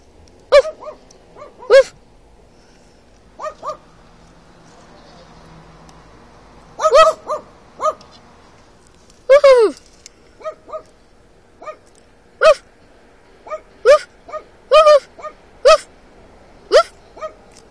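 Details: A dog in another car barks back each time a man imitates its bark; short yelping barks come singly and in quick pairs, some separated by long pauses, with faint background noise.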